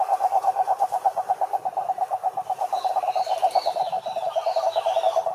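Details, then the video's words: Several frogs calling in a pond in a natural setting: a dense band of rapid, pulsed croaks repeated many times a minute, with fainter warbling calls from other animals in the background. "Sapos Cantando na Lagoa"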